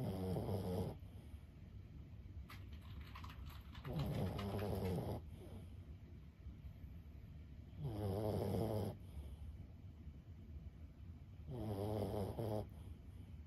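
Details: Steady sleep snoring from Lulu, a 15-year-old Boston Terrier: four buzzy, fluttering snorts spaced about four seconds apart, separated by quiet breaths and faint room noise.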